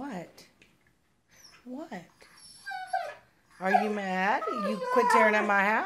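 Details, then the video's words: Husky talking back indoors: faint whimpers at first, then a loud, wavering, yodel-like woo-woo run of rising and falling notes lasting several seconds. "Huskies Singing 🎤 | Husky Singing & Talking"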